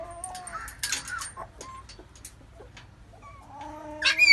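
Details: Labrador Retriever puppies nursing from their mother make high, thin whines and squeaks. They waver and overlap, with soft snuffling between them, and a louder squeal breaks out at the end.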